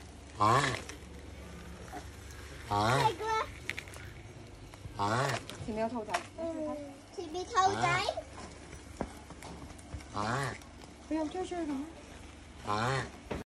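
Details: Tortoise mating, giving rhythmic, drawn-out groaning calls about every two and a half seconds, each rising then falling in tone, with people talking and exclaiming in between.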